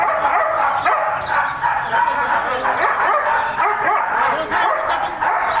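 A German Shepherd barks in quick, uneven bursts, with people talking in the background.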